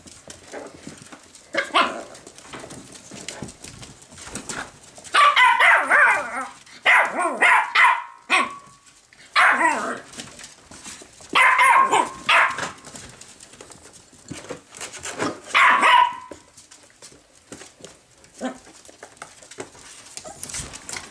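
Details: Miniature Jack Russell terrier puppies at play with a new learning toy give sharp, high yapping barks and yips in bursts of several, separated by short quiet gaps and light scuffling.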